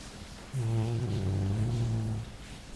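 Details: Jully the Labrador asleep and snoring, one loud, deep, buzzing breath lasting almost two seconds, steady in pitch with a slight wobble, in an otherwise quiet indoor setting.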